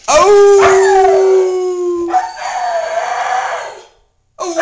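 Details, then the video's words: Siberian husky named Momo howls when prompted: a steady, sustained pure tone that breaks into a rougher, wavering yodel-like stretch, then stops before another howl begins. "Momo howling"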